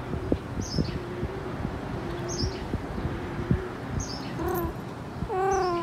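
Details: Persian cat in heat giving two short, wavering, harmonic meows near the end, the second longer and rising then falling, with faint high bird chirps recurring and a low rustling background throughout.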